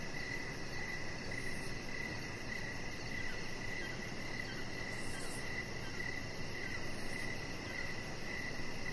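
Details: Evening crickets near a lit-up deck where a chihuahua puppy lies; a thin, high chirp repeats about twice a second, partly buried in steady broadband hiss and low-pitched rumble.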